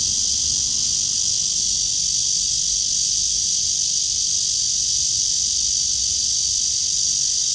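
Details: Loud cicada song from a tree on a blue-sky walk, 09:27 on 23 August 2020, an unbroken, piercing high-pitched drone at constant strength throughout, with faint low murmur underneath.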